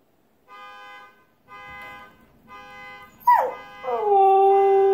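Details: A husky breaks into a sliding, then long drawn-out howl in response to repeated flat electronic car alarm tones; Husky.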